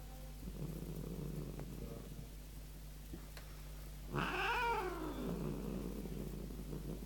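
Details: Large pet cat, angry and ready to attack; after quiet rustling, a single low moaning yowl swells midway, rising then sliding down, over a steady electrical hum.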